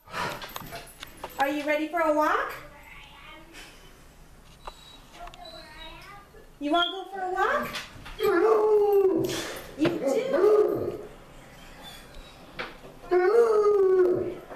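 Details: Rufus, a Basset Hound out on a walk, gives drawn-out tonal whines and moaning cries in four bursts. Some rise and fall, others hold a steady pitch for nearly a second. Quieter gaps fall between the bursts.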